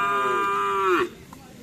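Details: Madura bull-racing cattle (karapan sapi) bought ahead of an anniversary event: one steady, level, harmonic moo lasting about a second that drops sharply in pitch at the end, then background murmur.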